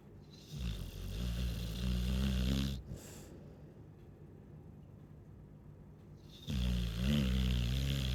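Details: Snoring Chow Chow heard in two long, low, vibrating breaths separated by a quiet pause of several seconds, each snore a rough, droning rumble.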